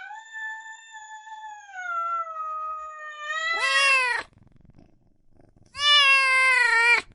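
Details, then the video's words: A long, steady, wavering meow held for about three seconds swells into a loud, harsh, strained cry, then a pause and a second loud, rough meow. Cats and kittens meowing loudly. "Sounds of Cat Meowing and Kitten Meowing |Baby Cats Meowing |Cats Meowing Loudly"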